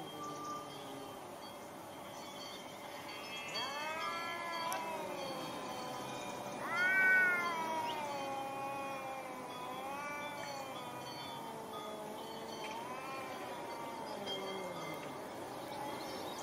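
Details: Fighting domestic cats caterwaul in long, harmonic-rich wails that swoop upward and then sag. The loudest rising howl comes near seven seconds, followed by several slower undulating moans over faint background hiss.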